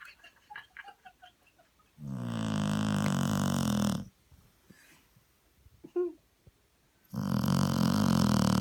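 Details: English Springer Spaniel snoring while asleep, snuggled up on a sofa after a long walk: two long, loud, rasping snores of about two seconds each, separated by a quiet spell with soft breathy sounds and a small squeak.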